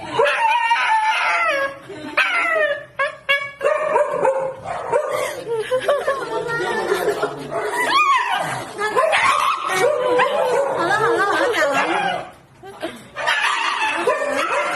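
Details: Dog screaming loudly while receiving a vaccine; long, wavering, voice-like wails with harmonics, broken by short pauses, crowding nearly the whole recording.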